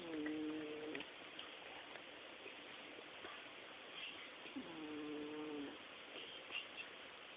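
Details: Sleeping Chihuahua snoring: two drawn-out, tonal, whining snore breaths about four seconds apart, each lasting roughly a second, over a quiet indoor background.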